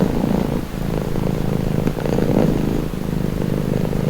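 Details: Brief stretch of steady cat purring, a rough low rumble with gentle swells as the animal breathes; presented for calm and relaxation.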